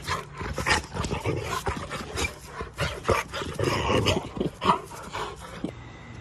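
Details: Black American Labrador named Onyx making a continuous run of rough growls and grumbling huffs, rapid and irregular throughout, with occasional higher yelping edges.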